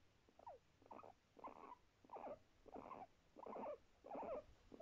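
A guinea pig gives a steady run of short, throaty barks, about two every second.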